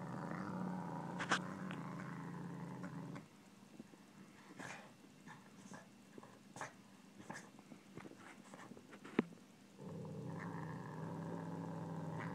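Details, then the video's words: Pet Savannah cat growling while eating pork: a low, rumbling, steady growl for about three seconds, then a quieter stretch of scattered clicks and chewing noises, and the deep growl resumes near the end. "Our Savannah Growling while eating pork"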